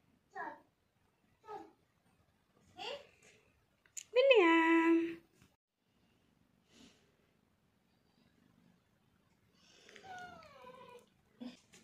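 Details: Persian cat at breakfast time, giving one loud, drawn-out meow that falls in pitch midway through. A second, fainter falling meow comes near the end, with soft scattered clicks and taps in between.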